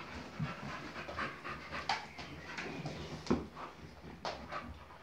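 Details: Boxer romping and playing in a small room, indoors; irregular bursts of heavy panting breath with scuffling and thumping of paws between them, no barking.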